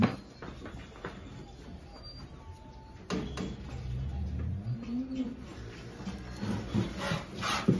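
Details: Holstein cow at milking time with calves on a farm in El Salvador; one low, drawn-out moo that rises and swells in the middle of the clip, surrounded by farmyard rustling and scraping.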